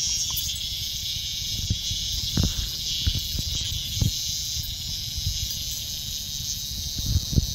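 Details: Loud, boisterous cicada met outdoors by a dog named Bella on a walk; steady, harsh high-pitched buzz runs unbroken through the whole stretch, over low thumps and rustling from nearby movement.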